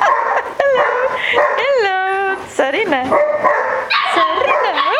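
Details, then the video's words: Barbet puppies, seven weeks old, playing wildly indoors in the evening with their mother and an older dog; high yips and sliding whines rise and fall, with a person laughing and talking between them. "Barbet puppies 7 weeks old getting wild in the evening in the house"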